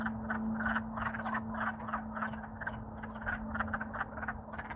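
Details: Wood frogs in Alaska calling loudly in spring after thawing from winter freezing, courting; a dense chorus of short clucking croaks, several per second, overlapping, with a steady low hum beneath.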